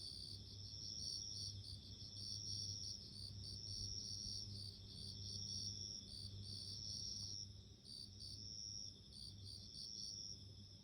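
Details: Bell cricket calling with bright, bell-like chirp bursts, a sustained shrill tone that drops out briefly near the end, and a soft low hum underneath.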